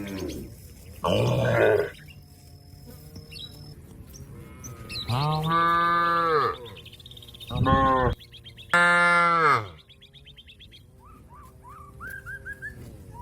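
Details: Cattle calling a companion that is grazing on grass to come home to the barn: four loud, deep, drawn-out moos, the first rough and breathy, the others clear and harmonic, with small birds chirping in the background.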